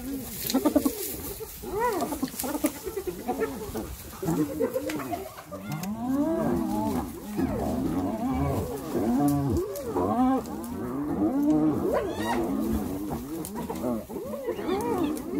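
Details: Several hyenas brutally attacking another hyena; dense, overlapping wailing and squealing calls that rise and fall in arcs, almost continuous for the whole stretch, with a few sharp louder bursts near the start.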